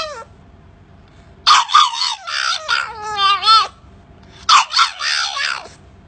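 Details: Little puppy trying to bark, letting out high, wavering yelps and squeaky whines in two bursts, pitch sliding up and down with rich overtones, separated by quiet pauses indoors.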